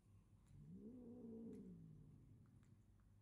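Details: Short-legged pet cats in a comical fight: one low, drawn-out yowl that rises, holds, then slides down over about a second and a half, soft against a steady background hiss.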